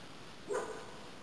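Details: Norfolk Terrier Bazalka, a female, at her first OB-2 start in the Nortebaz cup obedience competition on 4 October 2015; a single short, sharp bark rises out of steady background hum, then quiet returns.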